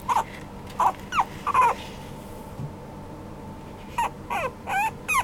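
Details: Young apricot male Toy Poodle whining in short bursts: a few thin, bending squeals in two small clusters separated by a quiet pause, with a low steady hum beneath.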